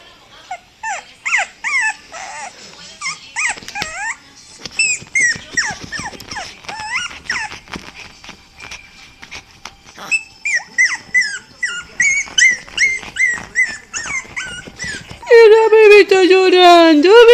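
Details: Pet dog crying in reply to another dog crying, a run of high whining whimpers with rising and falling pitch, repeated in quick bursts, ending in a long, loud, wavering howl-like wail; a woman speaks Spanish softly.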